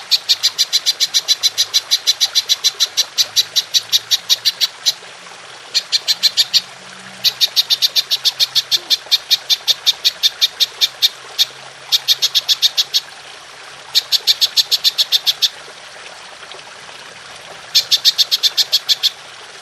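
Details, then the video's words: Golden grasshopper giving a long shooting call, recorded as training material for songbirds: high, sharp ticking pulses in rapid bursts of one to two seconds, separated by brief pauses, over a faint low hum. "Belalang Emas Nembak Panjang"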